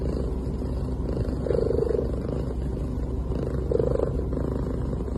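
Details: Soft sounds from a cat while it sleeps: two slow, murmuring purr-like breaths about two seconds apart over a constant low droning background.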